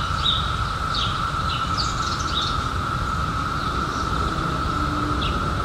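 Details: Chorus of cicadas, emerged in 2021 after a 17-year hiding, forming a constant even drone at mid pitch; a few brief high bird notes flick in near the start and at the end over low ambient rumble.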